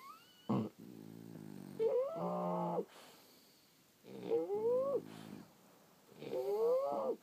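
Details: Sleeping French Bulldogs give three long snores about two seconds apart. Each is a buzzing, harmonic breath topped by squeaky, upward-sliding whistled tones, with hushed gaps in between.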